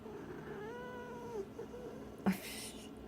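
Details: Pet cat at home vocalizing in reply to her owner, wanting attention: a single smooth meow with a slight rise and fall lasting about a second, followed by a soft sound and a sharp brief noise, low room hum throughout.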